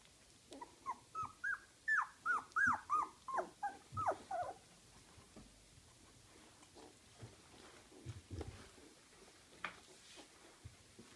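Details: Small puppies whining in a rapid run of about a dozen high, bent whimpers over four seconds, then quieter shuffling and faint squeaks in a small room.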